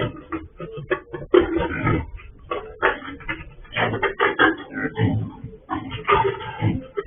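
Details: Escaped sow picked up by a farm security camera, giving a run of rough, broadband grunts and snorts in irregular bursts, with a muffled indoor tone.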